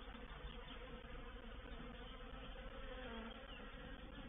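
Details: Swarming honey bees moving into a bait hive on 04/07/21, a reproductive swarm: a constant, massed buzzing hum with slight flutters in loudness and no other sounds.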